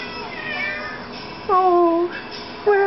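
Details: Confused cat at Christmas, indoors, meowing while a person searches for it: two clear, mid-pitched meows that slide downward, the first long and drawn out, the second beginning just as the clip ends, over a faint background hum.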